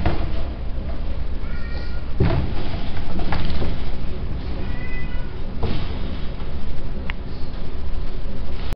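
Persian kittens give thin, high mews, two short calls a few seconds apart over a steady low rumble.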